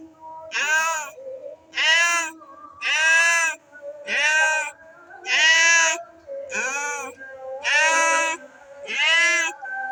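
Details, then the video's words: Two cats facing each other and wanting to fight give a run of eight loud, harsh, rising-and-falling wails, each about a second long and repeated roughly every 1.2 seconds, with faint lower moaning between. "the sound of cats wanting to fight the sound of w cats facing each other"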